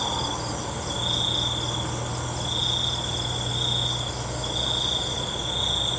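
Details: Crickets calling at night: high, steady trilled bursts lasting about a second each, separated by short pauses, over a constant shrill insect hum and a faint low drone.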